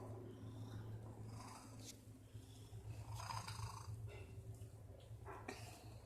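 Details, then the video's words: Cat making unusual noises: a continuous low purring rumble with snore-like rasps and a few soft breathy sounds. "MY CAT IS MAKING WEIRD NOISES"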